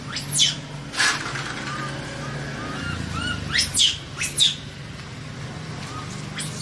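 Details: Scared baby monkey caught in a trap, calling for help with piercing arched shrieks, some doubled in quick pairs, over a steady low engine-like hum and faint background chirping.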